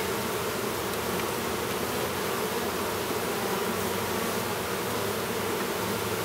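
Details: In a Minnesota beehive near Duluth, where a drone honey bee is emerging from his cell, the bees make an even, sustained buzz, a low humming tone with a breathy hiss on top.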